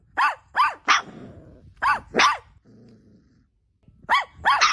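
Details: Pet dog, from a household with a mother dog and her newborn nursing puppies, giving loud barks in quick pairs, each bark arching up and down, with a brief low growl between pairs and a short pause before the last two.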